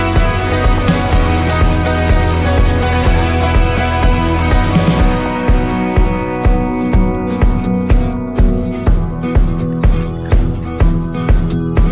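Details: Loud electronic background music with a driving, regular beat plays throughout, and no bark or other animal voice can be picked out.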